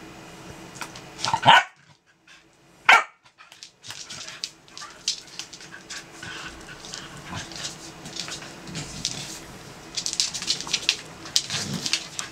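Corgis fighting: two sharp, loud barks, then a steady jumble of snarls, yips and scuffling.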